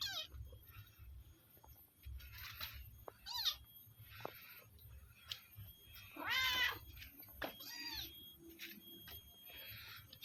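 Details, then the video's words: Village cat being fed cut-up sausage, giving a few short rising-then-falling meows, the clearest near the middle, amid soft rustling and a person's quiet voice. "Kasih Makan Kucing Kampung"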